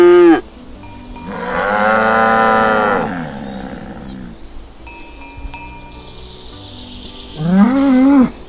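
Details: Morning moos from plump, healthy cows on their way to the field. One long steady low bellow is followed later by a shorter arching moo, with bright repeated high tinkling chirps between them.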